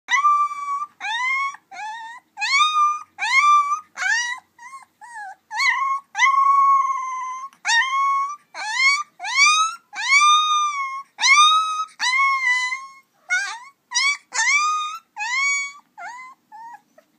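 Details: Three-week-old mahogany-coated female Alaskan Malamute puppy giving a long series of high, whining cries, each rising then falling and repeated about once a second, clear and close with no other sounds.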